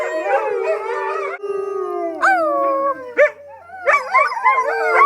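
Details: At a sanctuary in February 2013, captive wolves with some dog blood join in a howling chorus. Long sustained howls drop in pitch and overlap with short yipping rises, then a dense tangle of wavering voices returns.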